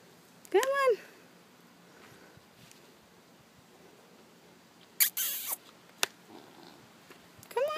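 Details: Pig refusing to go into the house and plopping down on the ground; two short, high arching squeals, one near the start and one at the end, with scattered clicks and handling noise between.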